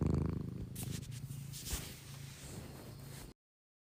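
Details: Sleeping cat snoring softly, a low fluttering rumble that fades after the first second, overlaid by brief rustling and scraping noises before the recording cuts to silence.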